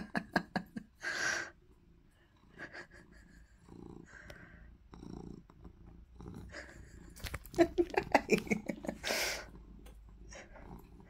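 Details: Maine Coon cat in a playful, happy mood: rhythmic pulsing purr-like sounds open, then a run of short harmonic chirping calls, with people talking and laughing nearby.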